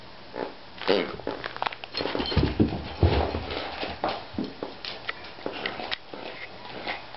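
A Basenji gives a string of short, rough yelps and grumbling noises at an uneven pace.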